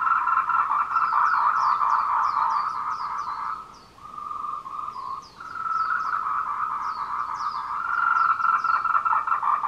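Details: Courting tree frogs on the Meiling Wulong trail in Nanxi, Tainan, 26 April 2018 at 14:00, Canon PowerShot SX720HS: a steady, fast, rattling croak chorus that dips twice midway, with thin high chirping notes repeated over it.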